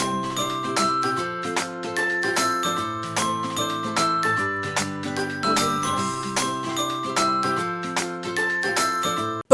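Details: Bright glockenspiel and marimba music plays a repeating tinkling melody, with no animal sound.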